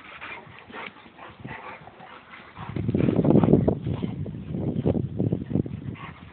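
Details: Playful mud wrestling between a Boxer and a Labrador; faint whines at first, then from midway a loud rough rumbling growl with fast panting pulses, messy and continuous.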